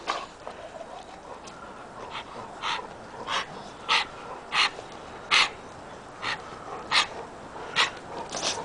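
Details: Oliver, a small rescue puppy with a little cold, meeting the pack of dogs; short snorting, sniffly breaths burst out roughly every 0.7 seconds over a soft background hiss.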